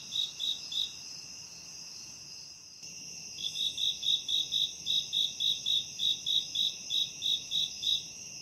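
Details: A cricket chirps steadily in a forest at a campsite, short bright pulses about three times a second over a high insect hum.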